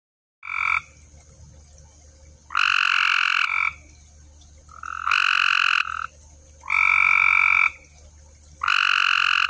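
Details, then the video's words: Frogs calling at night in a pond: loud buzzy croaks with a nasal harmonic tone, each lasting about a second, in four bursts separated by short quiet gaps over a low steady hum. "Night life in the pond."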